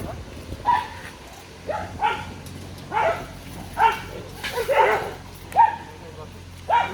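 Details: A pack of dogs attacking a grown barking deer in the wild: sharp barks about once a second, each a short harmonic burst, with a person talking between them.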